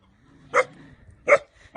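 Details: German Shepherd, one of the local dogs at a farm property in Cuernavaca, Mexico, on 21 February 2021, comes out to greet or guard a passing walker and shows his teeth. Two short, sharp barks about three-quarters of a second apart over a faint low hum.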